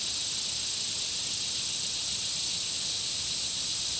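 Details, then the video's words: Around a country pond, insects make an unbroken high hissing buzz with a steady piercing tone and fine rhythmic pulses at the top, holding even throughout with nothing else distinct. "Country Pond Insect Sound Effects"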